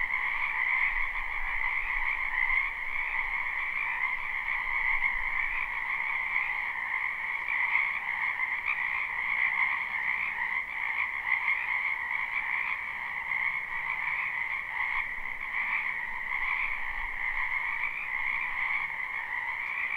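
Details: Spring wetland frogs calling en masse behind a home, recorded live: a constant throbbing wall of croaks layered in two pitches, faint low thumps now and then.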